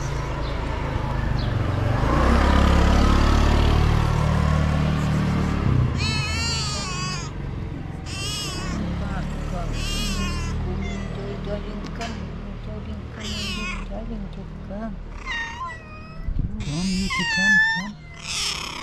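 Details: Domestic cat, described as a cute, loving female, gives a run of repeated meows from about six seconds on, each a wavering, arched, harmonic cry, some long and rising then falling, over low rumbling background noise after a noisy opening.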